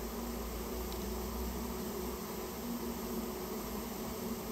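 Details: Japanese honey bees nesting in a storehouse, recorded as the colony is removed: a constant murmuring buzz over a low rumbling background, with one faint tick early on.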